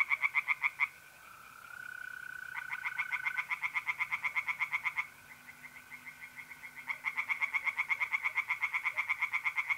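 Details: Pond tree frogs by night in mid-April, north-east Italy, giving long series of rapid, evenly spaced croaking pulses in loud bouts separated by short pauses; mole crickets trill steadily throughout.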